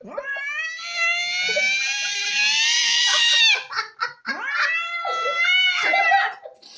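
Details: Angry pet cat yowling: one long, steady, strained wail of over three seconds, a short break, then a second sustained wail of similar pitch that sags slightly and fades out.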